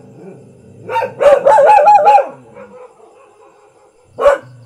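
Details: A common household dog gives a tight burst of quick, harsh barks run together, then a pause and one single sharp bark near the end.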